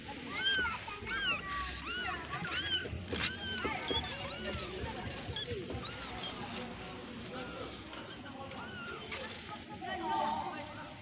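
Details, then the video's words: Mother cat with her small kittens; repeated thin, high arched mews from the kittens come in quick bursts, overlapping in places, with people talking in Portuguese and background music. "the cat, her young, and her life in our lives #cat #meow"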